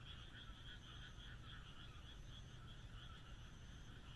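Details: Frogs on a moonlit night in rural Japan: a continuous trilling chorus of fast, pulsed croaks, a faint thin whistle-like tone above, and steady low-pitched background noise.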